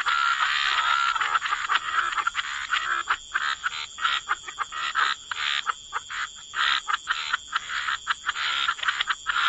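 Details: Many frogs croak together near water, their harsh pulsed calls layered thickly, then thinning into uneven separate bursts; a steady high whine persists throughout.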